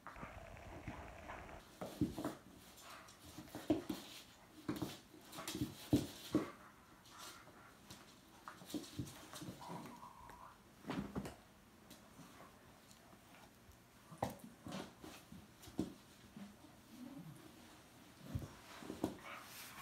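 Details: Jack Russell terrier puppy, two months old, tussling with a two-year-old fox terrier in a small room; many brief snorting grunts and whimpers in irregular flurries across twenty seconds, with scuffling and panting between.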